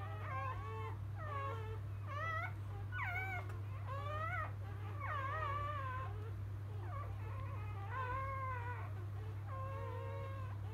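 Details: Field-type Labrador Retriever newborns moments after delivery by their mother biscuit, 2017 JFA Grand Champion, produce sharp rising squeals and wobbling whines in clustered bursts, with a continuous low droning hum beneath.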